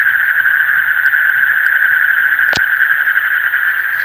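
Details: A deep-night frog chorus, high and continuous like a rapid, buzzing trill, with one sharp crack partway through and faint low rustling underneath.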